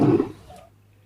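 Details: A lion lets out a brief, powerful roar burst that drops away quickly to near silence, with a faint low hum underneath.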